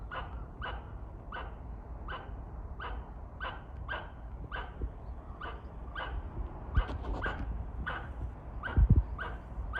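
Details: Squirrel at a shrine in Kawazu, Shizuoka, Japan, calling to threaten birds: a short, harsh chuck-like note repeated steadily about every 0.7 seconds, with a few thuds near the end.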